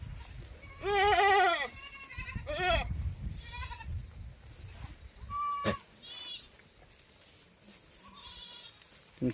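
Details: Domestic goat bleating: two loud wavering bleats early on, followed by softer, shorter bleats and a sharp click, with a low rumble of handling noise in the background.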